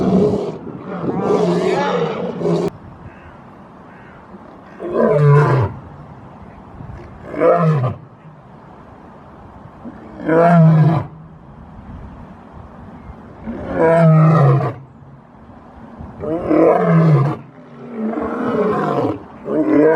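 A lion roars in deep, rumbling bursts, each swelling and fading, repeated every few seconds.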